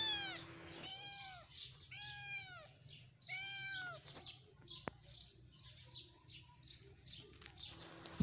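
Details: Playful kittens, including Lucy and Minky, romping in pleasant evening weather: three arched, descending meows in the first three seconds, then soft rustling, scattered clicks and thumps of play.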